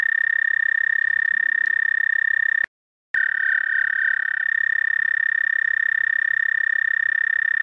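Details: Toad singing at night on 30 May 2014, just after 11 p.m. CDT: a long, steady, high musical trill held at one pitch, broken by a brief half-second silence before resuming just as evenly.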